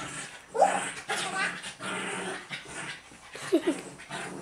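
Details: Pet dog playing wildly with girls in a recurring rough-and-tumble game, never hurting them; short squealing yelps near the start and end among rough, noisy growling and scuffling sounds, with faint voices in the background.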